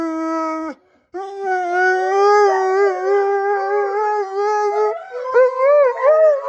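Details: Husky named Blue howling for attention: a long, steady, mid-pitched tone that breaks off, then resumes as a sustained howl with slight wavering, rising and bending higher in pitch toward the end.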